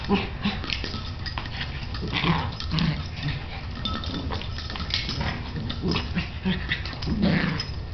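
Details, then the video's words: Bailey and Chance, two pet dogs at play, give low rumbling growls in short repeated bursts over steady background noise, with little human speech. "Bailey & Chance Playing"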